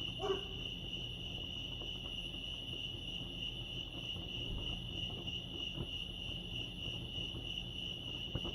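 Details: Crickets at Lake Arrowhead in California give a steady high, unbroken trill; a single brief lower burst sounds at the very start, then only the trill and faint low rumble remain.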